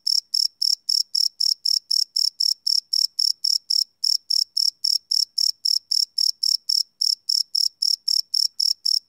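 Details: Crickets chirping at night, recorded live on a Sony PCM D100 field recorder: loud, high, shrill pulses repeated about four times a second in a steady train, with a few brief pauses and no other sounds.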